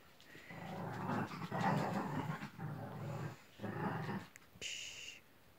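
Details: Newborn Chihuahua puppy, a seven-day-old black-and-tan female in Simferopol, grunts and growls softly in three rough bursts. Each burst lasts about a second, with short pauses between them. A brief thin high whine comes near the end.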